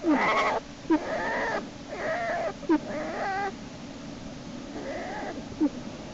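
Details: American black bear cubs in Lily's den, with Jason being hauled back inside by Hope; softer wavering cries with stacked harmonics, several short calls over a few seconds, plus brief clicks and a faint steady hum.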